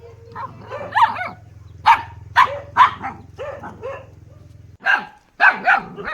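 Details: A dog barks loudly and repeatedly, short harsh barks spaced about half a second apart with a brief pause before a final pair, over a low droning hum.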